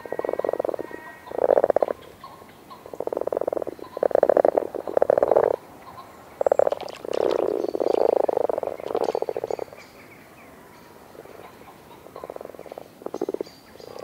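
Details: Male frogs croaking during the breeding season in a pool at the edge of a wood in the British countryside, at the end of February and bitterly cold. Low, rolling purring croaks come in short bursts of about a second each, repeated irregularly with brief gaps.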